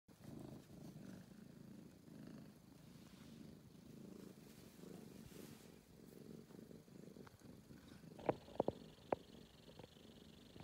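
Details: Kitten, a young male cat, purring while checking out a new basket for the first time; a soft low continuous rumble throughout, followed near the end by a few sharp clicks and knocks.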